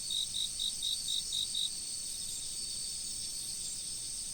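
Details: Autumn insects by a river: seven short, evenly spaced high chirps in quick succession over the first second and a half, then a steady shrill ringing drone of insects that continues to the end.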